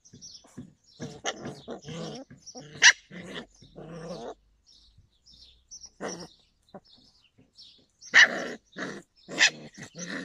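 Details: Yakutian Laika recorded in July 2020, barking in uneven bursts of short harmonic barks with growl-like notes, a few sharper, louder yelps standing out, and brief silent pauses between runs.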